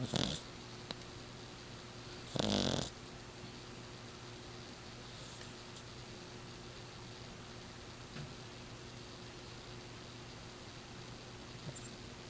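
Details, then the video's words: Miss Piggy, a six-year-old Exotic Shorthair (short-haired exotic Persian), snoring loudly while asleep: two harsh, rasping breaths at the start, then steady low room hum with a few faint clicks. "The snoring cat"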